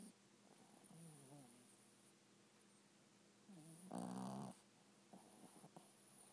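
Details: Small pet dog asleep indoors, snoring: soft, rough, wavering breaths, one near the start and another just before a brief louder rustle, then faint clicks in a quiet room.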